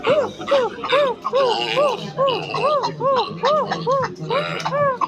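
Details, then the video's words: Silvery gibbon calling a steady run of arched whoops, each note rising and dropping, repeated about twice a second for five seconds, with higher overtones and a soft rattle and hum behind. "The Silver gibbons sound effects"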